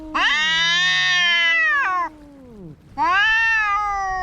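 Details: Domestic cats fighting: two long, loud harmonic caterwauls, the first wavering and held nearly two seconds, a brief lull, then another strained, nasal yowl rising in pitch; low growling tones run beneath.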